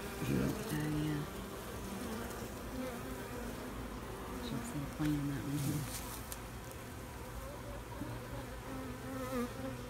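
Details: Honeybees buzzing around an opened hive while a beekeeper checks frames for a new queen, eggs, honey and capped cells; a steady low hum with scattered tonal drones and sporadic handling knocks.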